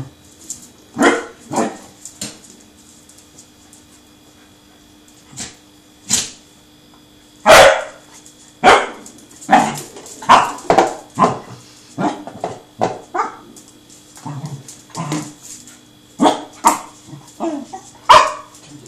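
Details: Truffle, a friendly seven-month-old male Pembroke Welsh Corgi, barks while chasing a rolling tin can: sharp, short barks scattered irregularly over nearly twenty seconds, some in quick pairs, mixed with crisp clattering clicks.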